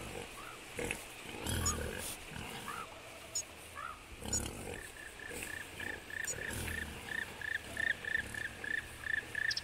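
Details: Adult wild boar give deep, rough grunts while young piglets answer with a run of short, high squeaks, in Belovezhskaya Pushcha, Belarus, on 4 March 2014.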